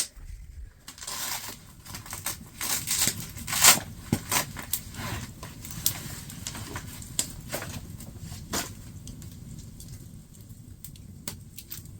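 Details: Irregular crackling, rustling and crumpling noises with scattered sharp clicks, like handling of gear or brush, with no animal voice.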